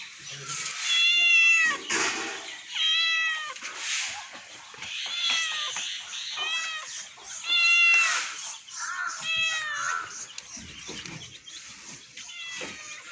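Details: Cat stuck high at the top of a tree, giving loud, drawn-out meows repeated every couple of seconds, each a bright arching wail, while people talk nearby in Bengali.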